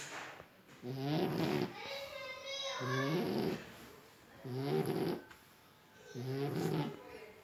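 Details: Sleeping French Bulldog snoring in a steady rhythm, a buzzy, rasping snore roughly every two seconds with quieter breathing between, each snore rough and layered.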